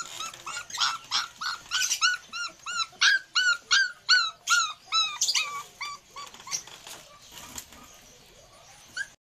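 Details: Belgian Malinois puppies whining in a quick series of high, rising-then-falling yelps, about twenty over seven seconds, steady at first and then growing softer and more spaced before fading to near silence.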